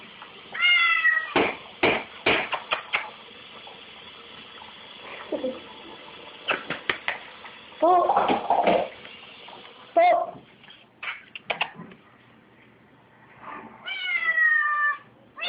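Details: Kitten Bolt meowing in a kitchen by the dishwasher, wanting the dirty dishes; a few scattered harmonic meows, one at the start and one near the end, among loud clattering, knocks and human speech.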